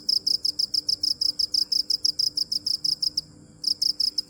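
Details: Rapid, even cricket chirps, high and ringing, roughly three per second, breaking off for half a second before resuming, over a quiet low background hum.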